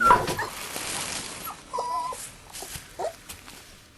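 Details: Husky-malamute cross puppies at four weeks old give short, thin whimpers and squeaks, several in quick succession, amid a background hiss and soft shuffling.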